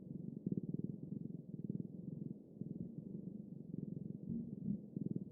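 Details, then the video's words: Cat purring, low pulsed rumbling in uneven bursts with brief pauses and slight tonal shifts near the end. "猫のゴロゴロ音【Cat rumbling sound】"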